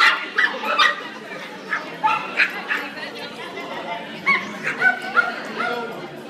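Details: At a yappy hour dog social gathering, Pepsi barks while trying to win a female dog's attention. Sharp, short barks come in irregular bursts from start to finish over a constant background of human conversation.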